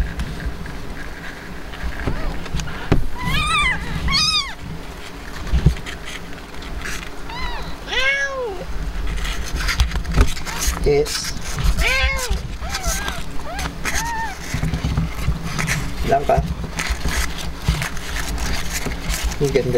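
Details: Blanca, a Himalayan cat who has just given birth, with her kittens: several high, arching mews spaced a few seconds apart over a steady low background hum and faint noise.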